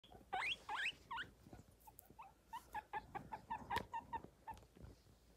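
A guinea pig gives a few steeply rising squeaks, then a quick run of short, chirpy squeaks about four per second, with faint rustling beneath.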